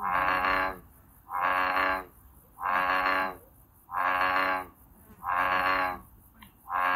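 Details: American bullfrog in the wild giving a run of deep, resonant, droning calls, each close to a second long, evenly spaced about every 1.3 seconds with short silent gaps between.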